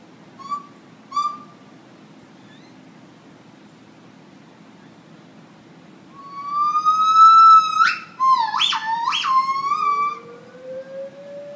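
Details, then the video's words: Gibbon at Lincoln Park Zoo, Chicago, in a morning serenade: two short whistled notes, a quiet gap, then a long swelling whistle broken by sharp upward leaps, ending in a soft rising note. "Gibbon song"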